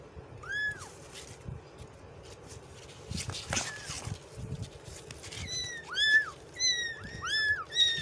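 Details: Kitten meowing, a street cat, giving short, arched, high-pitched mews, a single one early, then a rapid run of overlapping cries near the end, over steady background hum and some faint clatter.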